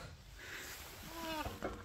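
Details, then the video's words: Baby rhinos Peter and Bula answer their keeper's voice at the early morning milk feed; a short series of thin, squeaky, falling whines late in the clip, with faint outdoor background noise. "Cheeky baby rhinos Peter and Bula talk back to guide Ruan with their special noises"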